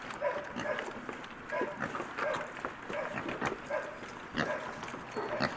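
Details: Piglets at breakfast give short, nasal, tonal grunts, repeated about every half second through the feeding, over a steady background of clattering and rustling.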